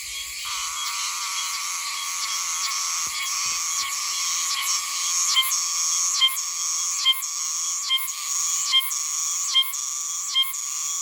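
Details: Oshima cicada (Meimuna oshimensis) from Okinawa, an autumn cicada singing from high in trees. A loud, bright, ringing drone breaks into repeated metallic phrases, each ending in a sharp click, roughly every 0.8 seconds.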